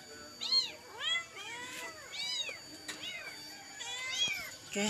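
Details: Crying for its mother after a whole night, a trembling kitten utters insistent, high-pitched curved meows roughly every second or less, with soft background noise and a brief low sound at the close.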